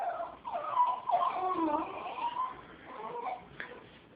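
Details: A female Jack Russell Terrier makes strange, wavering whines and yelps that rise and fall in pitch, apparently about a cat; sounds as if she is going to vomit, unlike anything heard from her before.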